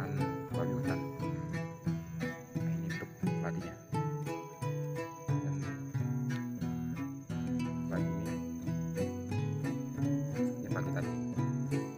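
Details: Plucked guitar-like music with steady harmonic notes and a faint bell jingle; no animal voice is heard. The strummed melody continues throughout, with a thin high tone running behind it.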